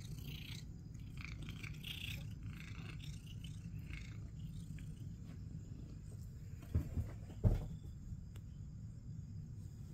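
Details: Purring from Critter, a male house cat wanting attention and being petted with back pats; a continuous low rumble with some rustling early on and a few short thumps near the end.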